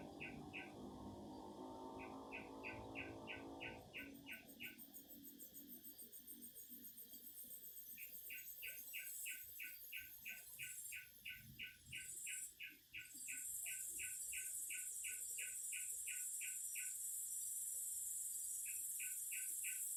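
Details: Cicada. Cicadas fill the air with a continuous, shrill hissing buzz that holds steady throughout. A sharper chirping call repeats in rapid trains of pulses, and low rumbling background noise fades out early on.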